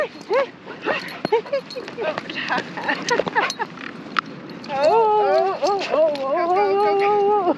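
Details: A 2-year-11-month-old Shiba Inu on a walk in the Netherlands, distracted by many other dogs, gives a long, wavering, high-pitched whine after people talk and laugh.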